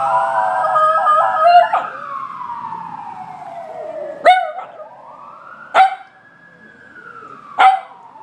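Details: An Italian Greyhound howls at a passing ambulance with drawn-out tones, one sliding slowly downward and another rising and falling in a long arch, over a wavering siren and a few sharp knocks.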